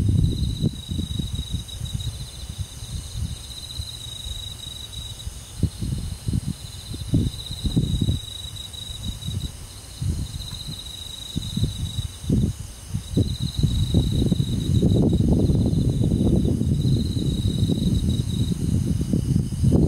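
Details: Crickets and other insects of the forest on a summer night in the countryside: high, thin trills in bursts of two to three seconds with short gaps, over heavy low rumbling and rustling noise.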